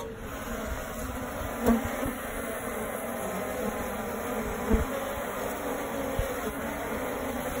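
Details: Western honey bees in a tree nest in the suburbs, first mistaken for a wasp nest, make a steady, low droning hum of many bees with a few louder clicks or bumps.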